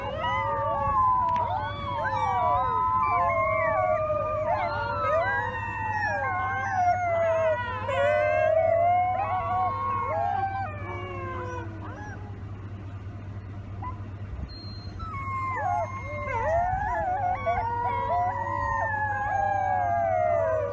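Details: Gray wolf pups in a chorus, many overlapping wavering, sliding howls and yelps rising and falling together, continuous throughout with a steady low hum underneath.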